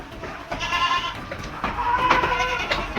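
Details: Pure Makhi Cheeni goats on a farm in Bahawalnagar, Pakistan, tall with white eyes and long ears, with kids present; two wavering, nasal bleats with rich harmonics, the second longer and louder, over faint background noise.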